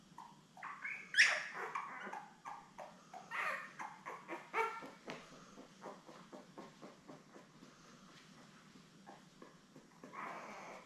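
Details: Seven newborn Labrador Retriever pups, born May 24, 2021, with mother Belle on a live puppy cam, June 3; a steady run of short, high squeaks and whimpers repeated about every half second, trailing off into quieter cries.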